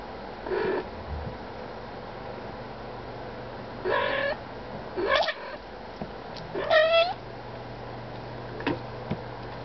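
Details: Mother cat nursing month-old kittens, making assorted soft noises: scattered short chirps and mewing calls, one clearer rising mew near the middle, spaced by pauses over a steady low hum.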